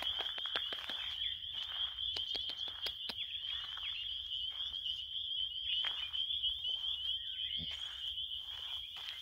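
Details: Continuous high-pitched cricket trilling, level and unbroken, interrupted by sharp clicks and brief rustling noises, over faint low background rumble.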